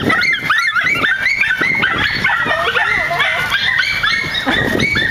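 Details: Nine-month-old miniature schnauzers in a park give a continuous chorus of shrill, overlapping barks and yelps, steady and loud throughout, with a faint low rumble of background noise beneath.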